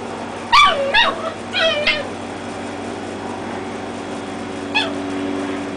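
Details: Dachshund puppies, reds against black and tans, play-fighting; a few high, sliding yelps and squeals in a quick burst near the start, then one more yelp later over a steady background hum.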